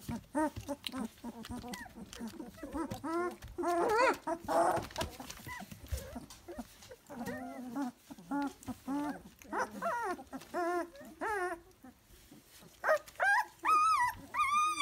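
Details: Litter of Dalmatian puppies three weeks old, several voices overlapping in a busy chorus of short wavering whines and squeaks, with a few shrill rising squeals near the end.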